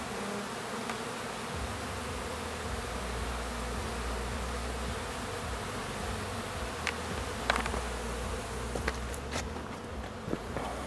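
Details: Bees, new workers graduating to foragers, making their orientation flight around the hive while others clean up cappings; a steady low droning hum throughout, with a few sharp clicks and taps near the end.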